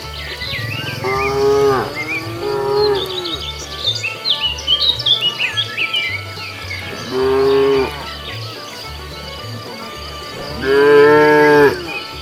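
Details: Cows wandering along a road looking for food: four loud, harmonic moos of about a second each, rising then falling, spaced irregularly, with chirping birds high above, a low steady throb underneath, and voices talking nearby.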